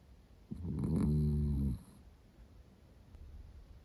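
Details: Roro the Miniature Dachshund, a female born in 2010 with a black and cream coat, sleeping happily; a single loud, drawn-out, vibrating snore of about one second, then soft quiet breathing in a small room.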